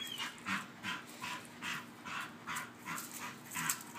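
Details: A female Bull Terrier chasing her squeaky toy gives quick, sharp, high yips, two or three every second.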